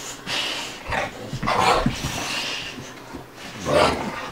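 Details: Two dogs at play, Bubba the American Bulldog aged two and Ruby the Dogue de Bordeaux puppy aged five months; loud breathy bursts roughly every second, mixed with short low rumbling growls.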